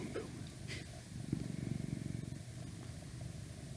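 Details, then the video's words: Close, low purr from a house cat, a fast fluttering rumble with rapid pulses, swelling in the middle and fading, with a faint hum and a soft click at the start. "Cat Purring"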